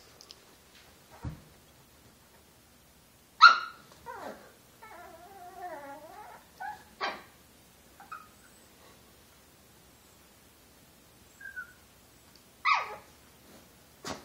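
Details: Chihuahua Josie, a female a little over a year old, pouncing and playing indoors as a hand moves under her bed; she makes short yips and a drawn-out wavering, modulated whine-growl, with quiet gaps between bursts.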